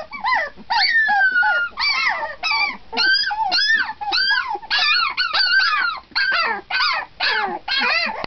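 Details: Seventeen-day-old puppies crying together at night in a bedroom: a long falling whine early on, then a steady run of shrill arched yelps and squeals from several pups, repeated in quick uneven bursts.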